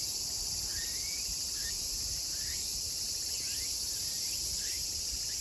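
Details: Meimuna opalifera chorus at Kawagoe, Saitama, Japan, 24 August 2020, late summer; a constant high shimmering drone with scattered upward-sweeping chirps over a soft low rumble.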